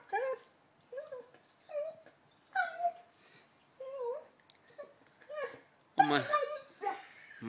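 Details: Lenny, an 11-month-old Labrador at play with a new ball, makes a string of short, wavering whimpers about every half second to second. A woman talks over the end.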